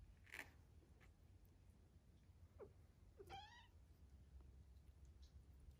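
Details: Three-week-old foster kittens learning to play indoors; one gives a single short, high meow that rises then drops, with a faint squeak just before and soft rustling and a low hum behind.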